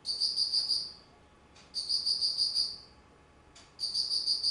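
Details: Autumn insect chirps from 19 September 2009: three high, sharply pulsed bursts about a second long with pauses between, the pulses beating quickly and evenly over a quiet background.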